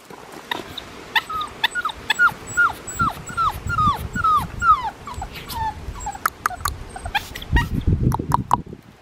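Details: Blue merle male Australian Shepherd puppy, 4.5 weeks old, Oklahoma farm, 27 September 2021: a steady series of high whimpers, each a short downward slide, about two per second, then sharper yips near the end amid rustling and a woman's voice.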